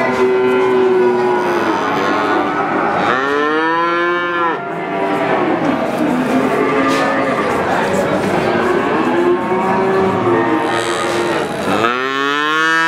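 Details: Calves giving a steady chorus of overlapping moos, with a loud, strained bawl rising around the middle and another near the end, the background crowded with more calling animals.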